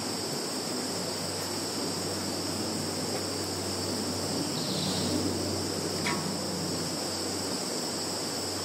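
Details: Continuous shrill insect chorus from a field in Zhukovsky district, Kaluga region, Russia, 11 September 2019, phone recording; a constant high ringing band, a low steady hum throughout and one short sharp tick.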